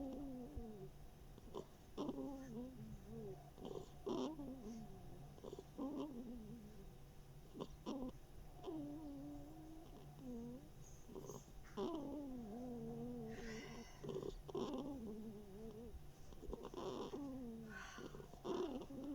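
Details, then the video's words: One-eared female hedgehog Mashenka sleeping and snoring, summer 2021: a long string of breathy snuffles and short, bending nasal whines, some rising then sliding down, repeated irregularly throughout. "Машенька - ежиха без ушка. Храпим и сопим."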